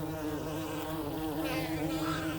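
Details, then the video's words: Honey bee hive humming, recorded from inside a hive as its sound changes before swarming: a steady low drone with stacked tonal bands, unbroken for the whole stretch. "the sound that you can hear coming from a honey beehive is changing substantially."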